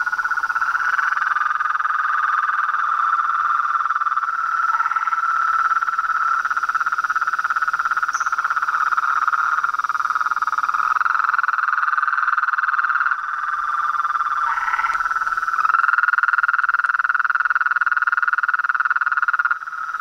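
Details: Noisy crowd of toads, frogs and treefrogs calling after dusk at a farm pond facing a veranda; an unbroken, chaotic mid-pitched trilling chorus with layered voices and occasional brief higher notes over a constant high hum.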